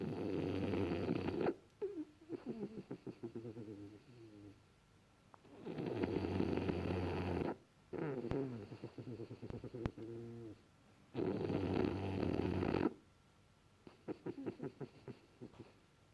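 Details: French Bulldog snoring while asleep, loud harsh rasping inhales about every five seconds, each followed by softer bubbling, fluttering exhales.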